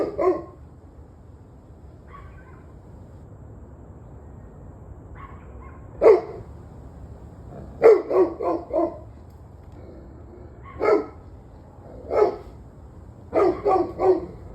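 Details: Evening recording from 21 November 2023 of dog barking: scattered single barks and bursts of three or four rapid barks, with fainter distant barks in between, against a low hum.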